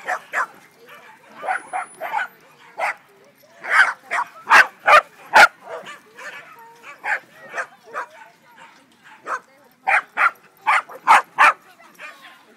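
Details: Corgi at a San Diego corgi meet, playing with and reuniting with a female corgi; sharp, short barks come in irregular bursts, often two or three in quick succession, over roughly twelve seconds, with people's voices murmuring faintly between them.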